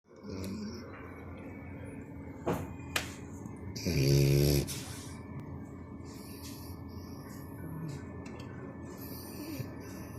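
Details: Sleeping French Bulldog Canon, four months old, snoring deeply: one loud, rasping low snore swells for under a second midway, with softer breaths and snorts around it against a quiet room hiss.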